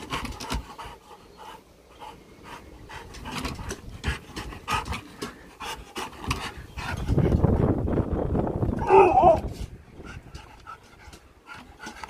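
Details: Husky named Sherpa, living in a van, doing an excited happy dance: rapid rhythmic panting with scuffling movement noises, rising to a louder burst around the middle, then a brief whine before panting resumes.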